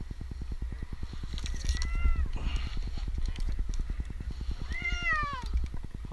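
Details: Two plaintive meows, the second longer and falling, from Jinx, an 8-month-old male kitten stranded in a tree in Newark, Ohio for two nights, amid rustling, a rhythmic engine drone and a rescuer's voice.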